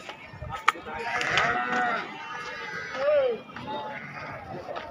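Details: Sheep calling at the Atpadi goat and sheep market, Saturday 15 July 2024: a rough bleat early on and a brief rising-falling cry near the middle, under busy market talk and sharp knocks.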